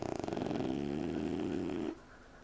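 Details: Two French Bulldog puppies asleep on a couch snore with a low, rattling, buzzy rasp that stops abruptly near the end.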